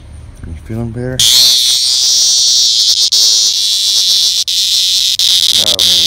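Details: Annual cicada caught by the dog Henry MinPin, seen close up: after a second of human speech, a loud, steady, high-pitched electric buzz starts abruptly and holds unbroken to the end, with a voice returning briefly at the close.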